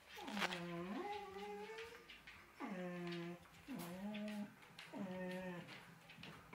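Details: Female collie vocalizing while missing her puppies: four separate moaning whines, each starting low and bending upward before holding a steady tone, spaced about a second apart, indoors with little background noise.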